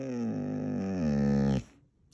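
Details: Siberian Husky named Mooner answering a question about where to go camping with a steady, moaning howl that holds a level pitch for about one and a half seconds, then stops abruptly; no other sounds.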